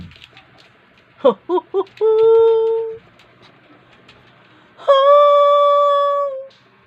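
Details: Pet dog, described as angry and irritated, vocalising in a way its owner calls talking: three quick yips, then two long, steady, howl-like whines with rich harmonics, each lasting one to two seconds, in a quiet indoor room.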